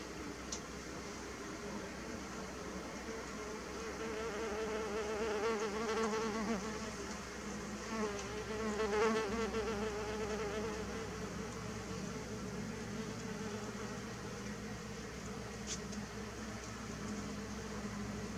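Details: Mason bees buzzing in a steady, dense hum with wavering harmonic bands, swelling louder around the middle, as several insects drone continuously close by.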